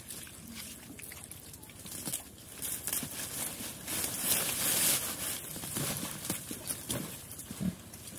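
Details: Chrouk Kandorl pigs, as they are called in Cambodian, on a farm in Cambodia eating banana leaves. Low, soft grunts and snuffles come through amid steady rustling and chewing noise, with a few sharper clicks.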